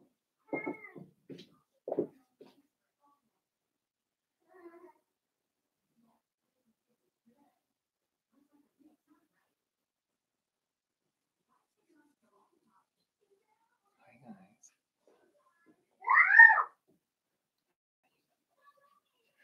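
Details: Blenheim Cavalier King Charles Spaniel puppies at play with their mother, mother Paris and father Spike's New Year's litter of five: a few quick yips at the start, long quiet stretches, then a loud rising-and-falling squeal near the end.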